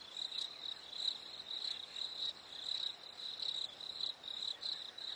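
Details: Crickets chirping on a warm summer evening: high, thin pulses in quick bursts, rising and falling in loudness roughly once a second over a soft, steady background hiss.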